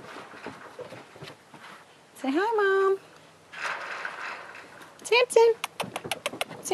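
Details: Six-week-old Great Dane puppies, a litter including mantle female Riley, during play time after dinner; two loud high whining yelps that rise then hold steady, followed by rapid clicking scuffles, with a woman talking throughout.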